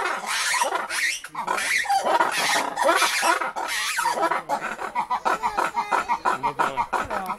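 Lemurs give loud, harsh, wavering calls, then a rapid series of grunting pulses.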